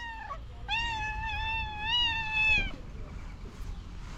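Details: Domestic cat, angry at another cat, letting out a drawn-out tonal yowl lasting about two seconds. The yowl wavers slightly in pitch and ends abruptly, with a brief earlier mew and faint room noise.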